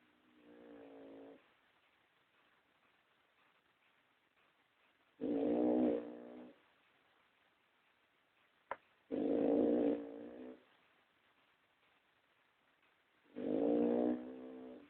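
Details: Snoring pug named Toya: a series of rough, humming inhalations, each about a second long, coming roughly every four seconds, with a single sharp click between two of the breaths.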